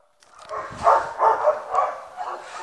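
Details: Bella, a pet dog, gives a run of short mid-pitched voiced barks, four or five bursts about half a second apart, slightly tonal and ringing.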